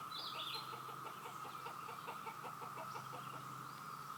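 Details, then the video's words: A steady, unbroken cicada hum, likened to a waterfall, runs beneath a series of rhythmic clucking notes from fowl and a short higher bird call at the start. "Cicada sound"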